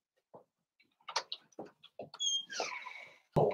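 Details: Blenheim Cavalier King Charles Spaniel puppies, a litter of five born on New Year's, play with their mother in a home puppy pen. Short gruff yips and grunts sound in quick bursts, then a high thin squeal and a loud final thump.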